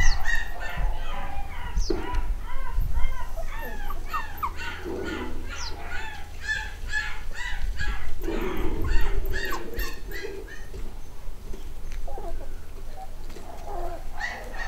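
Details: A new litter of eight-week-old black and white Cockapoo pups, home bred in the UK, raise a busy chorus of overlapping squeaky squeals and yelps. Calls come several per second with brief lower grunts and a constant low hum.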